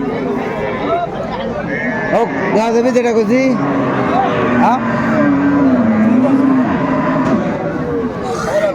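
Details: A cow at the Aftabganj haat livestock market in Dinajpur, January 4, 2025, among cows offered with calves: a single low, wavering moo late in the recording, mixed with close men's speech, market hubbub and passing vehicle noise.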